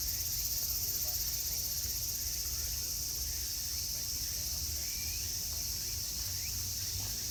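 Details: Cicadas singing in summer at Meiji Jingu, Japan: a continuous high, sizzling buzz holds steady throughout, while a brief rising whistle, likely a bird, sounds near the middle over low background rumble.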